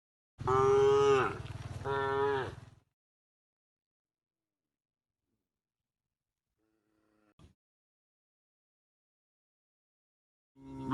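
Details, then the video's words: Cows mooing during herding toward the pen: a loud double moo with falling ends, then long quiet with a faint click, and another moo beginning at the close. "the sound of cows mooing"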